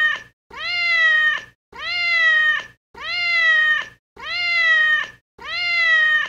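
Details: Cat giving six long, nasal meows in a steady series, each rising slightly then falling at the end, about one every second, clean background with nothing else audible.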